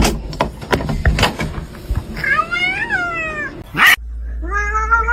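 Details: Kitten meows amid household clatter and faint voices: one long, clear meow rises then slowly falls, followed after a sharp bump by a shorter, steadier meow that climbs slightly in pitch over a low hum.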